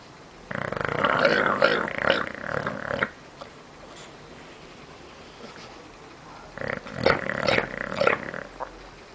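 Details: A bulldog snoring in the living room: two long, rasping snores of about two and a half seconds each, separated by a quiet pause of several seconds.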